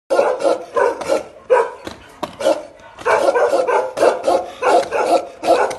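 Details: A pair of Bakarwal dogs, kept as protection dogs, barking aggressively: loud, deep, rough barks close by, about two per second in uneven bursts with short gaps.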